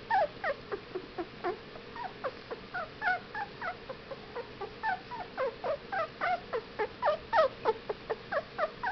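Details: Young Whippet puppies at fifteen days old whine in a fairly steady stream of short high squeaks, about three or four a second, some wavering up and down, over a low constant hum.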